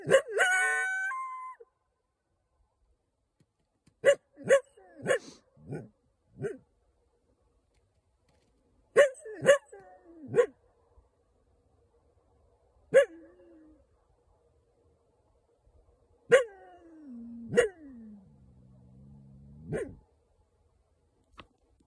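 A coyote gives sharp barks and yips broken by drawn-out, falling howl notes.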